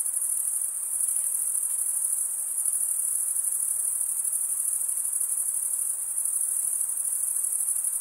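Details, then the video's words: Crickets chirping by stridulation, rubbing one wing along the toothed vein of the other; a steady, unbroken, very high shrill trill holds at one pitch throughout, with a faint hiss below and no other sounds. "cricket sound"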